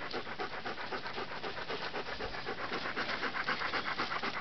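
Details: Three-month-old Papillon puppy Clover on her first hike, climbing a steep rocky trail in the Catskills with three other dogs; fast, steady panting, about four breaths a second, rhythmic and even throughout.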